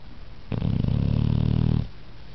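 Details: Male Pit Bull snoring while sleeping comfortably, a loud rumbling snore lasting over a second with a rapid buzzing flutter, rising sharply and dropping off, quiet room before and after.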